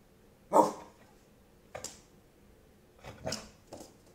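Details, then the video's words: Dog barking on command in a small room: one strong, rough bark opens, followed by softer, breathy bark-like sounds spaced about a second apart. "Bark On Command"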